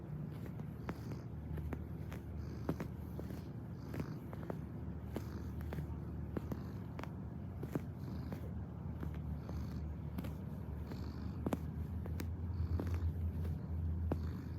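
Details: Kneading cat giving a continuous deep purr, an even low vibrating rumble that swells slightly near the end, overlaid with soft irregular clicking and tapping noises.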